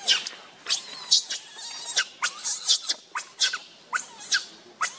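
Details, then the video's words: Baby monkey Rainbow, very angry and hungry, crying to beg its mother for milk: shrill, high arching squeals, about seven in five seconds, each rising and falling sharply in short bursts. "Rainbow Very Angry Need Milk Much I Smart Cute Lovely Baby Monkey"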